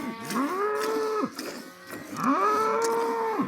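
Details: Cow in a village mooing twice in quick succession, each call swelling into an even, resonant tone and then sliding down, with a short quiet gap between them.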